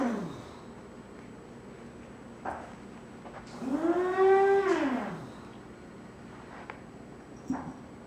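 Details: Foster kitten escaping a cardboard play area while the family's English cream golden retriever looks on; a single drawn-out, arched meow of over a second sits in the middle, framed by light taps and room noise.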